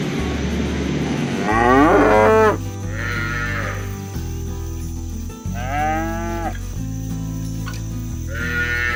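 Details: Village cattle being herded across the fields toward the barn, mooing to call their herd-mates home; several drawn-out, harmonic-rich moos, some overlapping, over a steady low hum.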